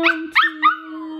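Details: Cookie, a Pomeranian at home, gets barky while his owner works out for the first time he has seen; three short sharp yelps in under a second, tonal and high, over a steady background hum.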